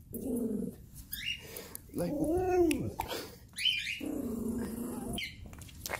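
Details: A Chihuahua, one of three tiny Chihuahuas barking on a hiking trip, gives a high, arching yelp-like bark, with human voices speaking nearby.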